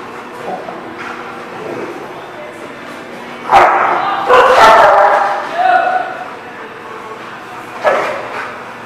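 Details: Dog barking, recorded on 3/12/18; a few sharp, loud barks stand out near 3.5, 4.5 and 8 seconds over a steady low murmur of background noise and other sounds.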